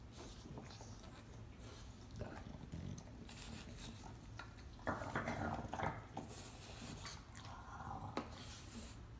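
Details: English Bulldogs sharing and biting a bone growl low and rumbling, with snuffling and chewing noises in a small room.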